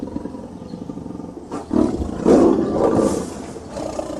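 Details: Tiger (Panthera tigris), roar.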